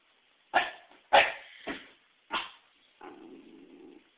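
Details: Female Pembroke Welsh Corgi scared of a volleyball meant for herding: four quick, sharp barks in a row, then a steady low growl about a second long.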